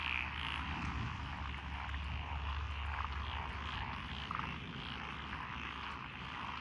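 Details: Lotus rice paddy frogs on a country road in Echizen, Fukui, Japan, 12 June 2021: busy croaking chorus with scattered louder notes, partly masked by a deep, steady engine-like rumble.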